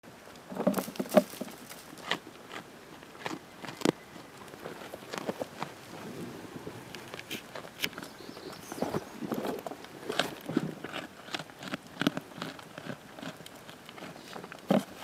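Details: Panpan, a baby goat, eating a green plum: irregular crisp crunching clicks and soft chomps come every fraction of a second, with quiet rural background.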